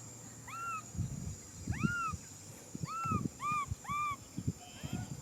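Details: Infant macaque crying for a hug with repeated arched, whining cries, each rising then falling, given roughly every half second to second. Thumps and rustling handling noises sit beneath, with a constant high hiss throughout.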